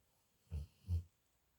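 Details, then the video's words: Dog sleeping and snoring, two low rough snorts about four tenths of a second apart, deep and brief, over a quiet indoor hush. "My dog snoring"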